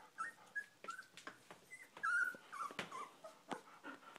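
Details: Sixteen-day-old Golden Retriever puppies whimpering: thin, high, wavering squeals, one louder drawn-out cry near the middle, mixed with short squeaks and rustling of bedding.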